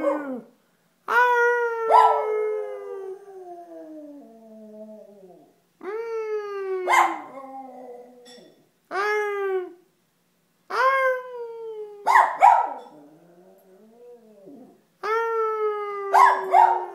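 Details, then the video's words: Benji the dog joins a howl with repeated short wavering howls, each rising sharply then sliding down, some breaking into yelping bursts, with brief silences between phrases. "Benji joins in on the howl"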